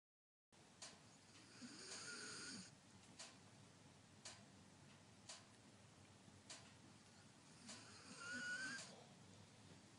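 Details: Sleeping German Shepherd squeaking and snoring: long breathy snores with thin, high, whistled whimpers riding on them near the start and end, and soft clicks between breaths indoors.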